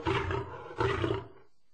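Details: Lion delivering two back-to-back gruff, grating roars, each under a second, the second slightly stronger, with a deep throaty rumble and a brief fading tail; no background sounds.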